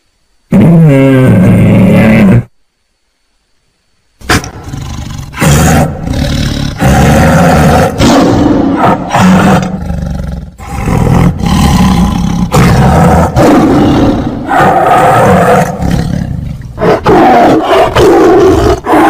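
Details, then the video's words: Tiger roaring in a long run of loud, rough, low growling roars, broken by one short silent gap early on, then near-continuous throaty bursts that pulse in strength. "Suara Harimau"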